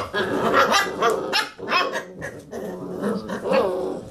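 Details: Basset Hound puppies playing around a computer chair; rough, grumbling play growls mixed with short muffled barks, several puppies close together, continuous rolling noise.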